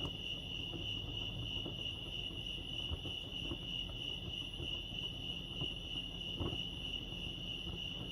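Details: Steady high-pitched cricket chirping at Lake Arrowhead, California, a fast pulsing tone that never pauses, with scattered faint ticks and a low outdoor hum beneath.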